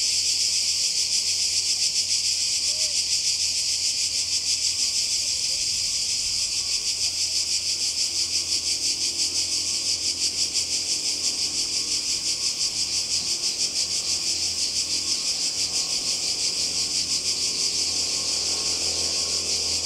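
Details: Cicadas by the Croatian sea in summer 2020 buzz in a continuous shrill, rapidly pulsing chorus, with faint low murmurs beneath.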